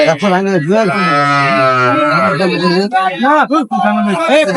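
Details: At the Ambari market in Dinajpur, 23 May 2025, where cows with calves are sold, a cow lets out a long, even, low moo, while men's voices haggling over prices run before and after the call.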